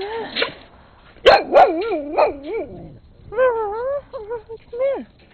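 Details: Brown skinny mixed-breed dog barking up a storm in late 2006, with a red Husky present; a rapid run of four yelping, wavering barks, then a pause and a second burst of rising-falling whiny yips.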